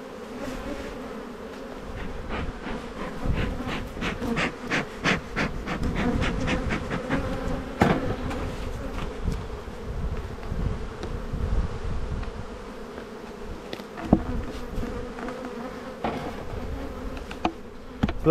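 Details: Honey bees buzzing around an opened hive in spring buildup as boxes go on; an even hum underlies a long run of rapid wooden clicks and scrapes of frames being handled.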